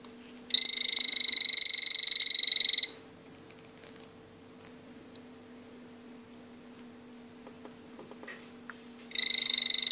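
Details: Male azureus blue poison dart frog kept by its owner, calling: a high buzzy pulsed trill near one pitch lasting about two seconds, silence, then a second trill starting at the end, over a steady low electrical hum.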